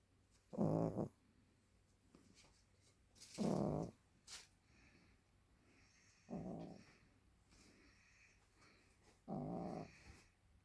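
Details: Sleeping Maltese named Candy, aged over ten, snores at home: four rough, rattling low snores spaced roughly every three seconds, each about half a second, with soft breathing and small clicks between.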